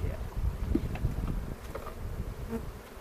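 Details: Low continuous drone of honey bees at an open hive, filmed April 27 with a 360 camera near Cochrane during a spring inspection for queen cells; dense rumbling hum with scattered soft clicks of frames being moved.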